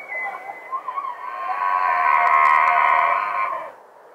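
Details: A few short yelps open, then a rutting bull elk in Rocky Mountain National Park gives a loud, sustained, harmonic-rich scream lasting about two seconds that swells and then cuts off, leaving quiet background.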